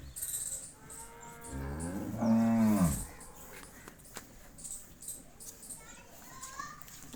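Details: Cholistani Jersey cross cow offered for sale: a single low moo lasting about a second, rising slightly then falling, amid faint background noise and a few distant voices.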